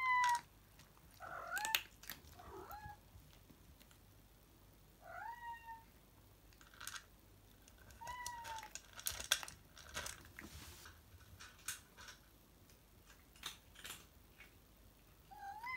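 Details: Salem, a house cat, impatient in the afternoon for Sabrina to finish her lunch so they can go play: about six short, bent meows spaced through the stretch, each rising then dipping, amid crisp clicking eating sounds indoors.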